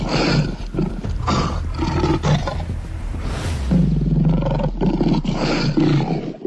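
A lion gives deep, rumbling roars that rise into loud growls.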